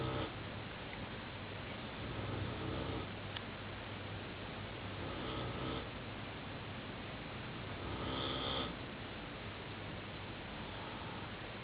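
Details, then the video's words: A big, lovable Great Dane asleep indoors, snoring in slow, rasping breaths that swell roughly every three seconds over a steady background hiss. "snoring Great Dane"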